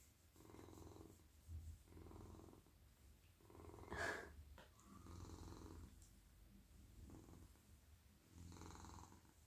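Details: Male domestic cat purring softly while lying in a person's lap in the evening as his head, neck and body are stroked; low, rumbling purr swelling and fading with each breath, roughly every one and a half seconds, with faint rustles of petting.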